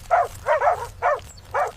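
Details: Adult meerkats on the African savanna, back above ground, barking loudly at a charging honey badger to protect a stumbling pup: four short, harsh, rough barks at about half-second intervals over a low background rumble.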